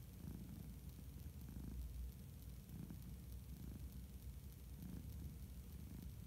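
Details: A male orange tabby cat purrs steadily while napping, a low continuous rumble pulsing with each breath.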